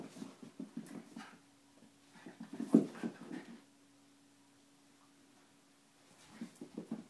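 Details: Schnauzer and Italian greyhound wrestling indoors; low grunting, panting and whimpering bursts in the first three seconds, a faint steady hum through a quiet middle stretch, then more scuffling grunts near the end.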